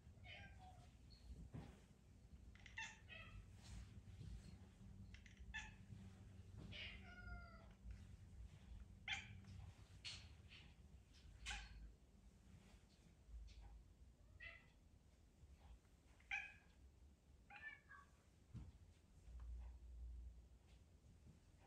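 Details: House cat Charlene meowing repeatedly to be petted, growing sad when no petting comes: a long run of short wavering meows, some rising then falling, spaced every one to three seconds over a low indoor hum.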